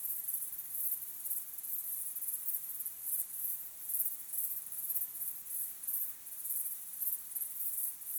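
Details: Sunset chorus of crickets, a thin, piercing, high chirping that repeats in short even pulses about twice per second, quiet and unbroken, without birds, voices or music.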